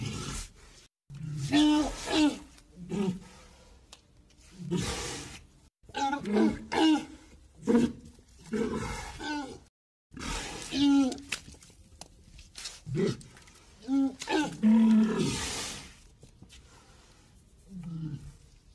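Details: Walrus bellowing repeatedly: rough, harmonic roars and grunts come in uneven clusters over about nineteen seconds, separated by short pauses, some calls bending up and down in pitch.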